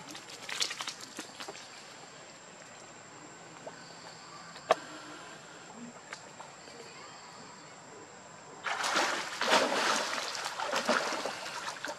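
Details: Quiet background with scattered clicks and a thin steady tone gives way near the end to bursts of splashing and rustling; no animal call comes through.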